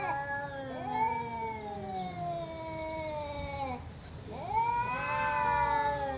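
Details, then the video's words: Two long, loud cat meows, each sliding slowly downward in pitch with rich harmonics. The second begins about halfway through after a short pause. "Cats Meowing Loudly"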